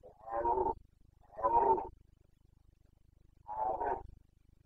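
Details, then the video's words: Carpathian stag in the Bucovina mountains calling during the rut, 29 September 2022. Three coarse, harmonic roars, the first two close together and the third after a pause of about a second and a half, against a quiet backdrop. "Boncănit / Carpathian stag Breeding season 29.09.2022"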